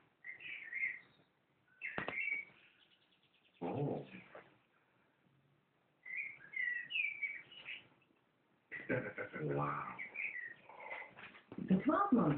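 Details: Alfie, a Yorkshire terrier indoors, singing along to a television advert: high, wavering whine-like howls in bursts with gaps between, mixed with advert voices and music.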